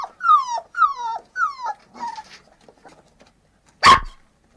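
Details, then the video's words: Puppies whine three times in drawn-out, falling cries. Two fainter whimpers follow, then one sharp, loud bark near the end. "VEJA estes Cachorrinhos Lindos Latindo"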